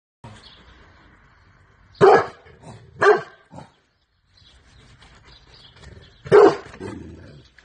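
A Rottweiler gives a few short, gruff barks spaced a second or more apart, guarding possessively.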